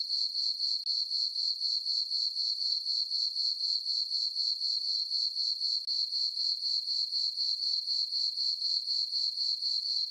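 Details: On a peaceful summer night in a moonlit farm meadow, crickets keep up a bright, high-pitched chirping, evenly pulsed about four times per second throughout, with no other sounds.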